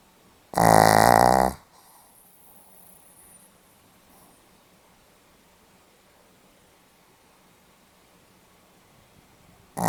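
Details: A single harsh, vibrating snore of roughly one second from a Pomeranian asleep indoors, dated 8 November 2015, then a long stretch of near silence with soft breathing before another snore begins at the very end.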